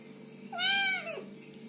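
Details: Kitten giving a single short meow, a harmonic call that rises then falls away over about half a second, with a faint steady hum underneath.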